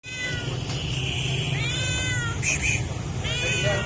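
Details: Hungry stray cat meowing for food outdoors: several drawn-out, harmonic meows, some rising then falling, one after another over steady low traffic-like rumble.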